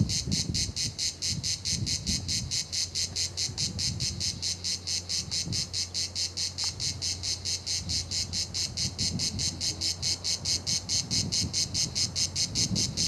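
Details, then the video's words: Cicadas singing at La Garoupe, Cap d'Antibes, France: steady rasping pulses, roughly two per second, run through the whole stretch over a soft low hum. "la garoupe les cigales"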